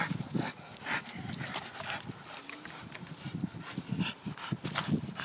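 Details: Staffordshire bull terrier kept as a pet, making low, rough grunts and breathy pants in an uneven pulsing run, with a few stronger puffs along the way.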